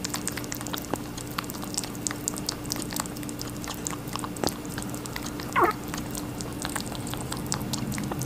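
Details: Rabbit chewing watermelon with a steady patter of juicy crunches and sharp clicks, one short rising squeak-like sound midway, faint background hum.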